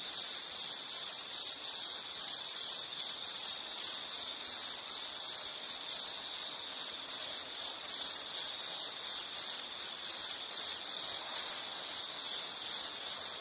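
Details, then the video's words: Insect chorus: a steady, very high, shrill trill pulsing rapidly without pause from start to finish, with a faint hiss of fainter high buzzing above it and nothing in the low range. "Sound · Nature Sound of nature sounds scenery L · insect"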